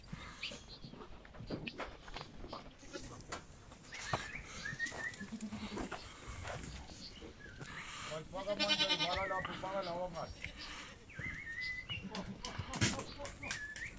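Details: Boer goat, a breed imported from South Africa. It gives one loud, quavering bleat with a wavering, stacked tone midway through, among people talking, scattered clatter and other fainter calls.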